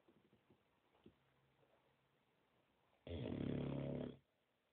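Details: A sleeping 9-month-old Boxer named Bud gives one loud, harsh snore lasting about a second after a few faint snuffles in a quiet room.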